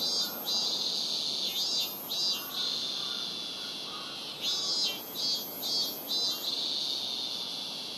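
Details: Shrill song of a Robust cicada at Rokugo Shrine, Tokyo, recorded on a Sony PCM-M10. Two runs of rhythmic, pulsing bursts rise above a constant high-pitched buzz.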